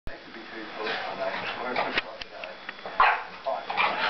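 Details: A five-month-old French Bulldog gives short, sharp yips and barks in uneven bursts, trying to claim his chair back, with human voices alongside.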